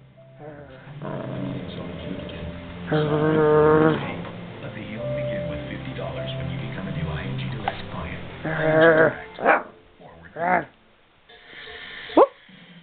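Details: A 44-day-old female Siberian Husky puppy, encouraged to bark and play, gives short, high, yipping barks with a slightly howling, wavering tone.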